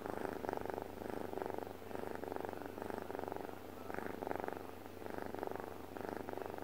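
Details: Domestic cat dozing peacefully indoors, purring or snore-purring in steady rhythmic cycles, each breath a rough buzzing burst about a second long with brief gaps, steady background hum.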